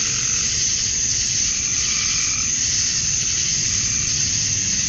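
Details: Unbroken high-pitched droning of male cicadas on a summer evening at dusk in Georgia, USA, calling to attract females; a softer mid-range trill drifts faintly underneath.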